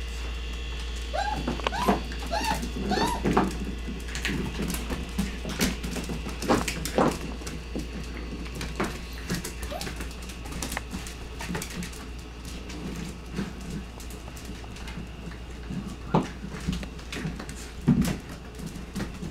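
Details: Lively nine-week-old Border Collie x Australian Shepherd puppies, rescue pups from the Border Collie Rescue of Minnesota, give a run of high, wavering whimpers and yips early on, then scuffling, paw taps and clicks indoors over a steady low hum.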